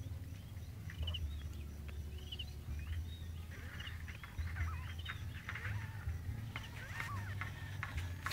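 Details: Newly born kittens looking for their mother call together in a busy stream of short, high, chirping mews that overlap, with a steady low hum beneath.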